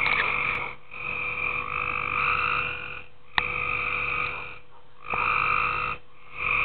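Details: At night in a swimming pool, tree frogs give drawn-out rasping croaks lasting up to two seconds, alternating with brief pauses, plus a sharp click near the middle over a constant low background hum.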